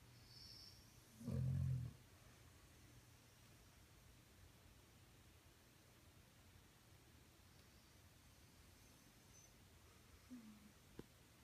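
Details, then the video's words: Snoring dog gives a single short, deep, grating snore early on, then a long quiet stretch of faint background hiss with a small soft noise near the end. "Snoring Dog"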